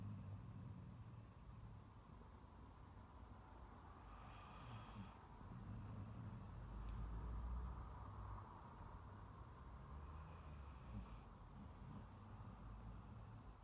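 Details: Rescue Staffy Ridgeback cross Lizzie sleeping on her favourite sofa, relaxed after a long walk and a big meal; quiet, rhythmic low snoring breaths rising and falling, with two short high electronic-like tones in the background.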